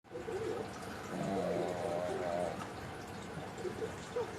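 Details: Mame, a pug fast asleep, gives a single drawn-out snore lasting about a second and a half, a rough, wavering harmonic rumble over a quiet indoor background.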